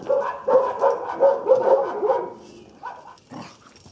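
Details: Casey, an 8-month-old Vizsla bred from strong hunting lines, during obedience training in Cumming, Georgia: a quick run of short, harsh barks and yips, about six in two and a half seconds, then a few softer noises.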